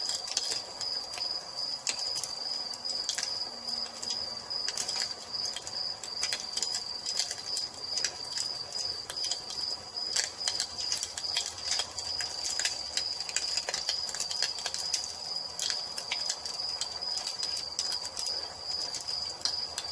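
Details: Crickets calling at dusk near a fireplace; their unbroken, piercing high trill dominates, while the fire adds scattered dry clicks and bursts of crackling.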